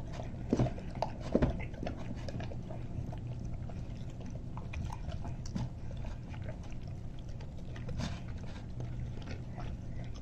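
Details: Greater Swiss Mountain Dog Rousseau at a bowl of homemade turkey soup: scattered wet laps and chewing clicks, a couple of louder knocks early on, over a low steady room hum.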